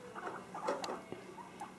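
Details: Two male guinea pigs, nine weeks old, a tortoiseshell and a curly-furred Teddy, out of their cages exploring a kitchen; short soft squeaky chirps and patter of movement over room noise, with a person talking to them.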